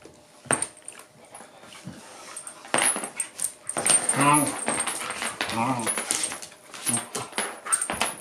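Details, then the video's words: Shiba inu Yuki and mastiff Dune tussle in a play fight for a chewing ball; harmonic whiny growls near the middle over scuffling, paw and mouth noises, with a person's voice in the background. "Shiba inu VS bull mastiff fighting for chewing ball."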